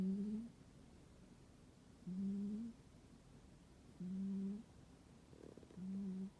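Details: Domestic cat fast asleep in a warm room during winter, giving even, low, droning snores, each about half a second long with a faint higher overtone, coming roughly every two seconds.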